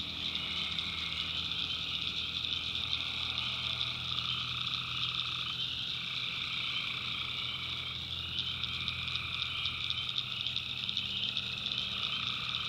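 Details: Tree frogs in full chorus on a North Carolina swamp night, many voices blending into a steady high-pitched ringing, with a lower rhythmic layer that breaks off and returns several times.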